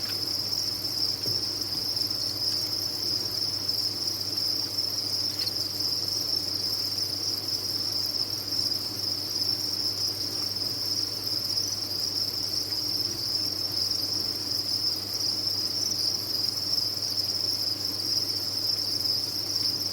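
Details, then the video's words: Farm-raised crickets in large numbers produce a continuous shrill chirping chorus at a constant high pitch, steady in loudness for the whole stretch, with a soft low background hum. "Sound of a Cricket Farm"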